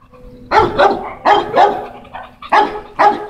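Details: Tugboat, an American Bully on a walk, lets out short barks in pairs, each burst rough with a clear harmonic core, separated by brief pauses, over a faint steady background tone.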